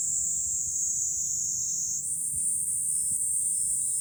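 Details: Continuous shrill buzzing of cicadas in July from a hilltop with a view over Fukuoka city, Japan; the drone rises a notch in pitch halfway through over a faint low rumble.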